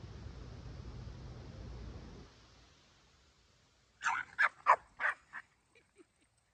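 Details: Dogs Kumo the Keeshond and Sully the Boston Terrier at play-wrestling, their favourite hobby; after a stretch of low rumbling background, five sharp barks burst out in quick succession, then a couple of faint short yips trail off.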